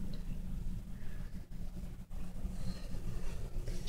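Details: Only a low, steady rumble like distant traffic or an engine, with no animal voice. Two brief dropouts break the hum, and nothing rises above the low background.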